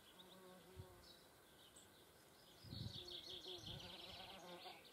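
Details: German wasps at a feeding place, giving a low, droning wingbeat hum with steady stacked harmonics that fades and swells as insects fly close, strongest in the second half, with faint high chirps far behind.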